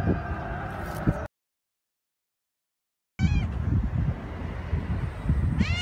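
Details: Domestic cat giving short, bright meows that sweep upward, a cluster of rising wavering calls after a brief silence and another rising meow near the end, over steady low street rumble.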